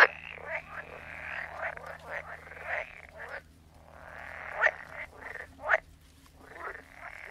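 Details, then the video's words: Frogs croaking in a soundscape: overlapping raspy, buzzy croaks in bursts of a second or so, some fainter and distant, with a few sharper louder pulses near the end and steady low hum beneath. "Sound of Frogs Croaking"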